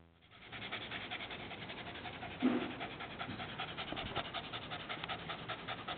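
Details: Dog panting while someone plays with its tongue: quick rhythmic breathy huffs in a steady run, with one louder bump near the middle.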